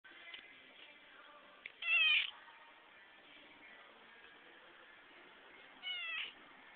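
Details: Cat at a garden center in Glenmont gives two short, high harmonic meows, one near the two-second mark and another near the end, over a steady low background hum.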